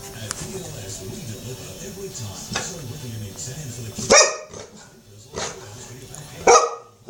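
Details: A two-year-old Golden Retriever indoors late at night, scared by a wild mouse caught in a trap. Two sharp, loud barks come around four and six and a half seconds, after low background murmur.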